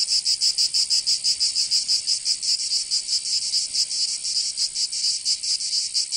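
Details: Several cicadas in summer in Provence, southern France, give a shrill, sizzling chorus; pulsed buzzing overlaps into an uneven throb, with no birds or voices audible.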